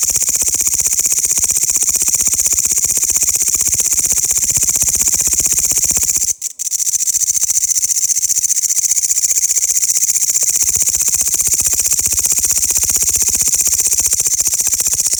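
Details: Grasshoppers give a loud, continuous high-pitched buzz of fast regular pulses. The song cuts off abruptly for a split second near the middle, then resumes at full strength to the end.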